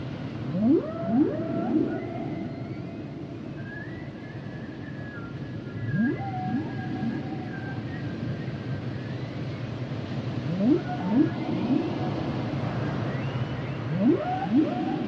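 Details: Humpback whales sing in phrases of paired rising whoops that glide up into whistles, separated by stretches of thin high wavering tones, repeating through the clip.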